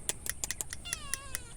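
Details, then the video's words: Domestic cat meowing: a short, falling meow in the second half, amid sharp, regularly repeated clicking sounds. "CAT MEOWING"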